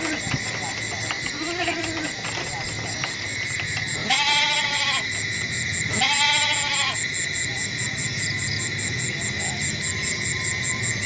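A goat gives two loud, wavering bleats, each lasting under a second, over a steady high hum.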